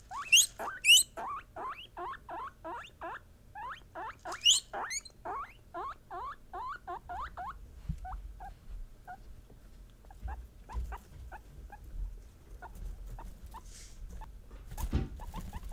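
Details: Female pet guinea pigs voicing emotion: steady chain of short rising squeaks about twice a second with a few loud high shrieks early, fading to sparser chirps alongside thumps and handling noise.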